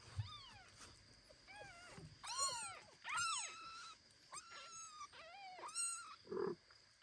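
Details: Domestic cats: foster kitten Ginny exploring the world until foster mother cat Kira carries him home; a run of loud, arched, tonal mews, a few quick ones in a row, then a lower rough sound at the end.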